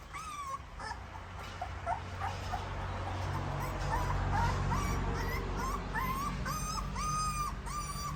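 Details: Nursing puppies make a rapid string of thin, high-pitched whimpers and squeaks while suckling their mother's milk, some bending upward at the end, with a steady low rumble underneath throughout.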